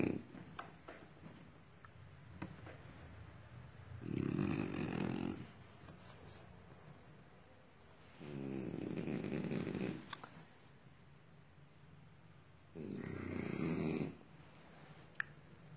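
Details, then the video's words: French Bulldog snoring while asleep: three long rasping breaths, each about a second and a half, spaced roughly four seconds apart, rumbling low with a throaty buzz, quiet room between them. "Lovely french bull when sleeping"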